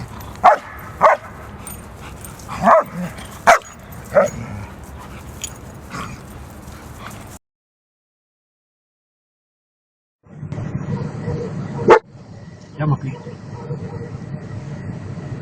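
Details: German Shepherd barking: several sharp, separate barks spaced irregularly, then a silent gap and a few more barks over low background rumble.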